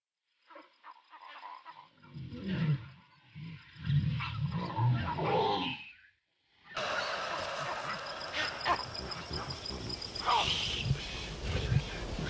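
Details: Wild lions give a run of deep, low grunting roars in pulses over about four seconds, then cut abruptly to a loud, steady rushing noise with faint voice-like sounds.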